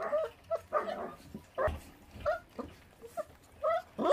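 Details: Korean feral dog pup, left uncared for by its mother, whimpers while eating: short, squeaky, slightly rising whines and yips at irregular intervals, with soft chewing and shuffling noises between them.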